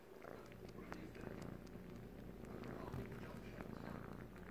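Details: Siamese kitten aged three months, a male, suckling on a blanket he treats as his mother; a deep, even purr hums under quick ticking suckling sounds and light fabric rustle.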